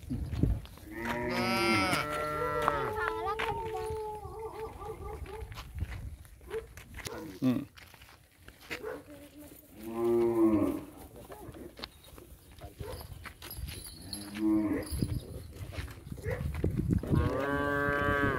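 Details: Punganuru mini cows at a goshala moo repeatedly: a long wavering bellow early, shorter harmonic moos around the middle, and another drawn-out moo at the close, with people talking in the background.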